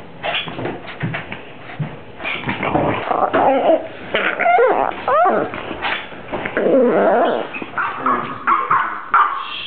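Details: Pet dog making sounds compared to a Star Wars character or a baby: varied whimpers, moans and yips sliding up and down in pitch, delivered in quick uneven bursts like chatter, with short pauses between phrases.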